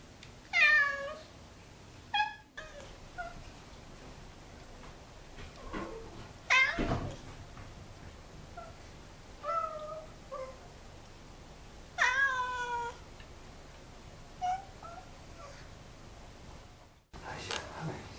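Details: Domestic cat heard in a collection of varied cat vocalisations: several separate harmonic meows, some rising then falling, scattered over the span with quiet gaps between, plus a few softer shorter mews and a brief sharp knock.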